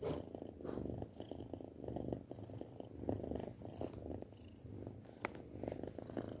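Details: Pet cat, six months old, purring continuously: a deep, grainy vibration rising and falling with each breath at a steady rhythm.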